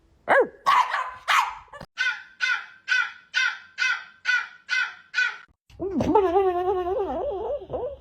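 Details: Dog barking about ten times in an even series, roughly two to three barks per second, then breaking into a wavering, yodel-like whine that rises and falls.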